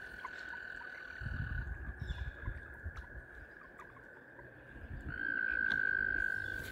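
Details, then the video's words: Mating frogs surrounding a kayak keep up a steady high trill. Near the end a closer, louder trill swells up for about a second and a half, over faint water and paddle sounds. "Mating Frogs surround my Kayak"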